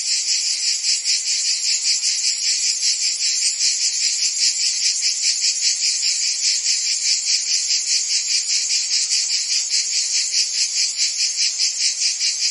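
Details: A steady wall of shrill cricket and insect chirping, high and trilling, throbbing in even pulses roughly two or three per second throughout. No voices, birds or other clear sounds break the continuous chorus.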